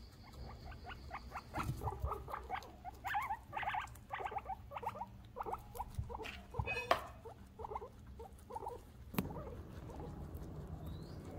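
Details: Pet guinea pigs eating vegetables indoors: a rapid, uneven series of short crisp clicks and squeaky ticks, several per second, with a brief pause midway and a sharp knock near the end over a low steady hum.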